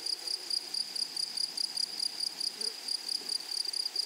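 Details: In a flowering meadow, grasshoppers give a high, thin chirring made of short bursts repeated roughly five times a second, evenly spaced and sustained throughout, over a calm natural background.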